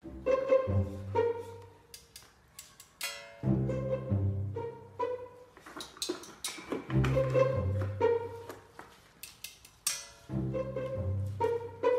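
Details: Playful pizzicato string music with cello and bass phrases repeats in short bursts separated by quieter gaps, and no animal voices are heard.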